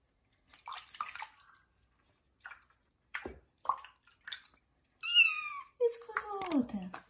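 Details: During its first bath, the kitten Johnny lets out a loud, high meow followed by a long meow that falls in pitch. A woman talks gently to it beforehand in a bathroom.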